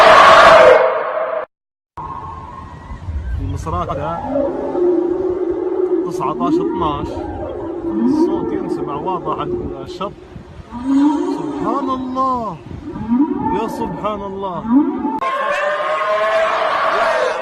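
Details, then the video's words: Whale calls heard clearly from the shore at Misrata on 19-12: a run of tonal, moaning calls that arch and sweep up and down, in overlapping series, with bursts of broadband noise at the start and end. "The sound of whale"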